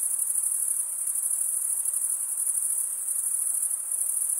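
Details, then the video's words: Crickets chirping by stridulation, males rubbing one wing along the toothed vein of the other; a dense, continuous high-pitched trill with rapid pulsing and no pauses, steady in level throughout, no other sounds. "Most relaxing cricket sound"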